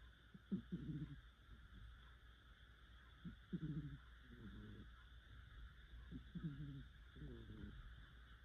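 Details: Sleeping pet cat snoring quite heavily indoors, low rough snorts coming in short clusters about every three seconds, each breath breaking into two or three rasping pulses, with a steady mechanical hum underneath.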